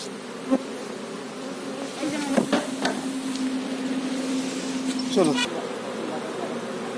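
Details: Honey bees kept for honey farming, around a hive with its queen: a steady humming drone carries a clear single buzzing tone held for about three seconds, broken by sharp handling knocks and rustles.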